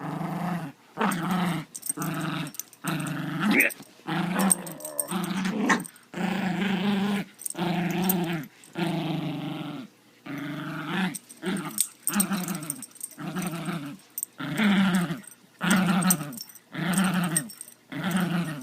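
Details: A dog playing tug-of-war gives a long series of deep, rough growls. The bursts are mostly under a second, with brief pauses between them, about sixteen in succession, some rising slightly in strength.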